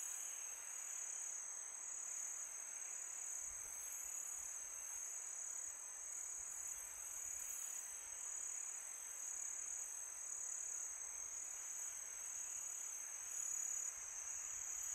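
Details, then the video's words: Steady high trill of crickets at night in summer, a seamless ringing drone with light wind hissing behind it and small swells in loudness. "Crickets sound for meditation"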